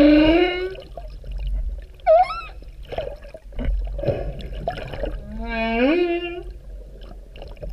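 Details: Humpback whales recorded underwater off Vava'u, Kingdom of Tonga, in October 2017: a series of tonal moans and upswept whoops, some rising in pitch, with gaps and a low watery rumble beneath.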